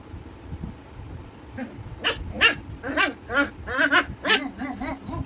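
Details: An angry puppy barking: a rapid run of high, sharp yappy barks and yips starting after a quiet second and a half, about ten bursts in quick irregular succession, over low background rumble.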